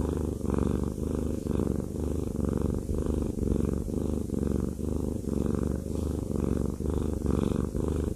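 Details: Purring of Haku, a fluffy male house cat enjoying a massage: a deep, even rumble that pulses roughly every second as he breathes in and out.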